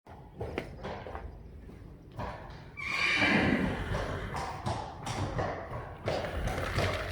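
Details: Friesian horses in a stable holding newborns, fed pellets after riding. A harmonic whinny sounds at about the third second, surrounded by thumps, hoof stamps and stable noise.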